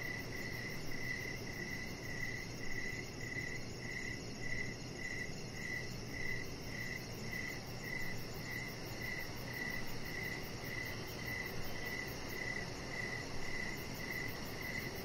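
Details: Crickets sing in the evening around a deck where a chihuahua puppy rests under decorative lights; bright, regular chirps repeat about twice per second without pause, over an airy hiss and a thin, very high pulsing buzz.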